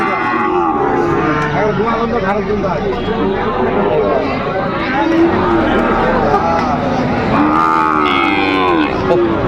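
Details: Sahiwal bull calves at a livestock market, a Dhaka farmer buying, January 2025; several overlapping moos, wavering and stretched, repeat through the stretch amid loud crowd noise and people talking.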